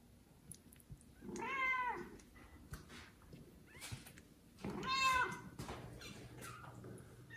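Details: Loud calls from a kitten, one of four born to mother cat Judy, crying for its mother, who does not come, before another cat carries it off: two long, drawn-out meows about three seconds apart, rising then falling.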